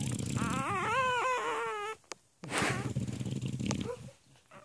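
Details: Newborn English Bulldog x Bernese Mountain Dog puppy (Bernerbullie), hours old, born by c-section on April 11, 2016 at The Ohio State University Veterinary Hospital in Columbus, Ohio. It gives a wavering, high whining cry of about one and a half seconds, followed by rustling and handling noise.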